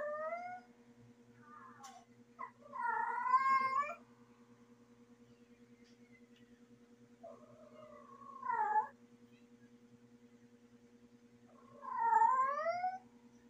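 A female cat in heat gives long, wavering yowls with a few seconds of quiet between them.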